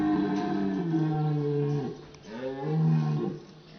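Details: A red deer stag in rut gives two deep, drawn-out roars that rise then fall away, on a misty autumn dawn at Sainte-Croix animal park, Lorraine, among a herd of 60+ hinds and stags; deep-voiced stags rank highest.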